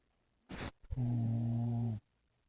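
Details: Sleeping dog snoring: a brief breathy rush, then a low, steady, droning buzz held for about one second before quiet returns.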